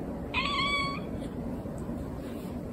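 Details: Rescued kitten left indoors while its caretaker goes to hang laundry and tells it to stay put; gives one clear, steady, tonal meow lasting under a second, slightly falling at the end, over quiet indoor room noise.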